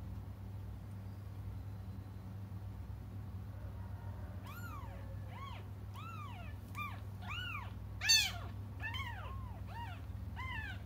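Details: After a quiet, humming start, cats waiting for their mother begin crying, with a run of about a dozen arched meows coming in quick succession and a brief sharp clatter partway through.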